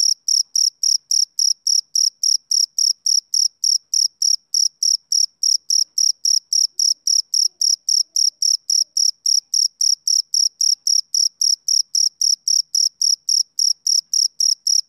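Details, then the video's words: Male cricket chirping on a summer evening: high, steady chirps repeated about four times a second in an even rhythm, with nothing else audible in the background. "Cricket Chirping Sound Effect"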